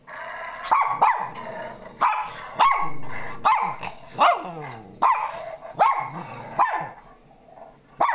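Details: Pet dog Mona, a Shih Tzu–Miniature Pinscher mix, barks in reaction to sounds played to her: loud, rough barks in pairs and singles, roughly every second, with a faint growling edge.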